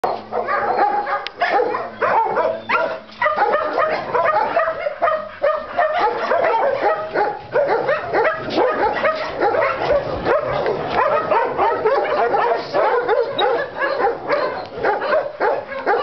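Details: Doberman recorded in February 2012, barking in a dense, unbroken stream of sharp barks and yips over sixteen seconds, loud and close.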